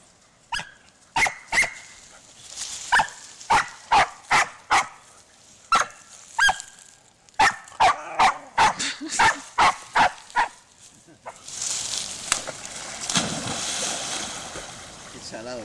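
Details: Spanish Water Dog named Rumbo waiting to chase a stick into water, giving repeated sharp excited barks with some yips for ten seconds, followed by a loud splash and rushing water.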